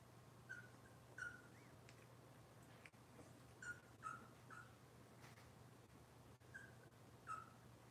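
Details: Cavalier King Charles Spaniel puppies from Robin's litter, kept indoors on a kitchen livestream camera; soft, short, high squeaks that slide downward, scattered in small clusters over a steady low electrical hum.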